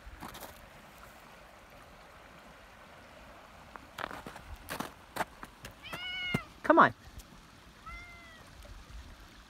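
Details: Black cat Max, coaxed away from the water's edge in Red River, New Mexico, answers with two bright meows late on, the second shorter; a man talks and calls him first, with rustling and a flowing stream.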